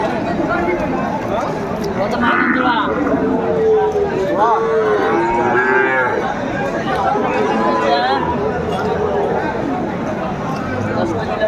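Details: At a busy Bangladeshi cattle market on 13 August 2024, cattle sold as Sahiwal bull calves give several wavering, mid-pitched moos, one rising then falling, amid constant crowd chatter and bargaining voices.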